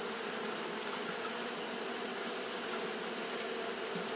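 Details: Japanese honey bees fanning continuously on a hot day: a steady, unbroken droning hum with low layered tones, under a bright, even hiss across the upper range.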